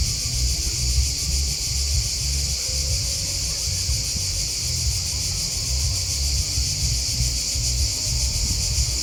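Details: Cricket chirping rings out as a thick, evenly pulsing high-pitched wall of sound, steady for the whole stretch, with low fluttering rumble underneath.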